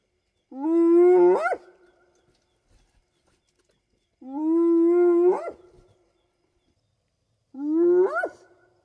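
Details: At night in the African bush, a spotted hyena gives drawn-out whoops that hold low, then swoop sharply upward, repeated every few seconds; these calls keep contact with clan members over long distances.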